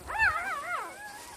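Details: Newborn puppy with its mother: a single high, wavering whimper that rises, bends and slides down over about a second, with clear harmonic overtones; quiet room otherwise.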